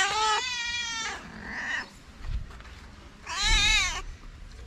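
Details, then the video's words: Stray calico cats in a Moroccan street crowd around people, begging for love and food; two loud harmonic meows, one long and level, one wavering and rising then falling, with a soft mew between and a brief spoken word. "Calico cats living in the street gathered around us, meowing for love and food."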